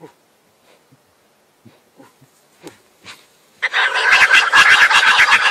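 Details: Wild boar in rut, giving its mating call: a few soft clicks first, then a loud, harsh, rapidly pulsed run of grunting squeals that continues to the end.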